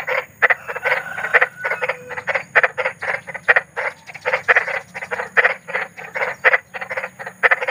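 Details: Kodok besar, big frogs in the wild at night, croaking in a steady chorus: rattling broadband bursts packed closely, rhythmically pulsing, with a faint constant hum underneath.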